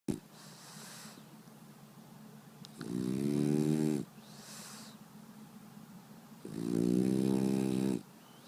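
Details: {'caption': 'French Bulldog snoring loudly indoors: two long, rough, droning snores, each lasting over a second, separated by quieter wheezy breathing in between.'}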